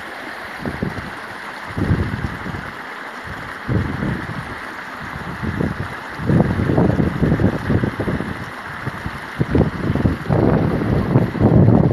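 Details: Gusty wind buffets the microphone in low rumbling bursts that swell and fade over twelve seconds, with no animal voice standing out.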